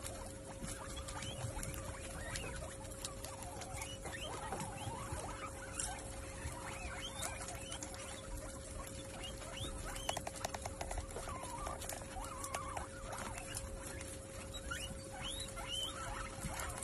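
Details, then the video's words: Guinea pigs feed at a buffet of food. Continuous busy rustling and munching fills the whole stretch, with small scattered squeaky notes and a steady electrical hum tone beneath. "guinea pig buffet"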